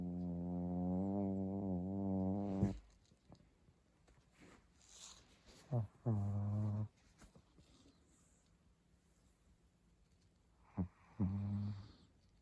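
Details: Pet dog asleep after burrowing under a futon, snoring in low, droning, buzzy tones: a long stretch at the start, then shorter bursts around six and eleven seconds, separated by quiet rustling breaths.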